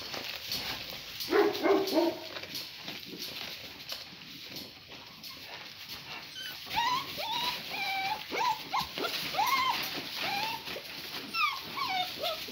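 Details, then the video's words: Great Pyrenees named Gracie, a mother dog playing with her puppies: a run of high, short whimpering yips and whines, each sliding up then down, repeated rapidly in the second half, over rustling and handling noise. "Gracie Our Great Pyrenees Mamma Plays with her Puppies"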